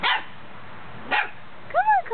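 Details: A Goldendoodle puppy, scared to come down the stairs while being coaxed, gives two sharp, high barks followed by a rising-and-falling whiny yelp, sounding fearful.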